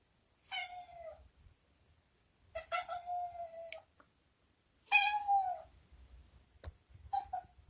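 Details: Domestic cat, a former stray rescued as a kitten, shut in a disliked washroom and meowing to be let out. Three drawn-out, wavering meows, each under a second, with pauses between, then a short final mew, in a quiet indoor room.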